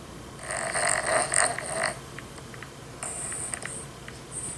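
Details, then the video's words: Dog woken by another dog's snoring: two bursts of raspy, buzzy snoring noise with hissy upper tones, the first lasting about a second and a half, then quiet, then a shorter rasp. "Dog Gets Woken Up by another dogs snore"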